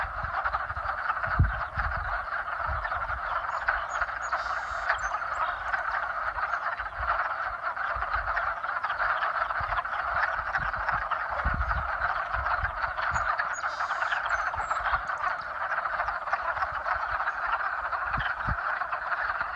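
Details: Frogs calling to mate in spring, a dense unbroken chorus of many overlapping croaks and trills forming a steady mid-pitched wall of sound, with occasional low thumps underneath.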